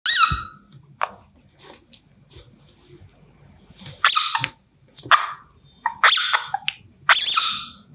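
A baby civet gives high, thin squeaks and squeals in short bursts, with pauses between.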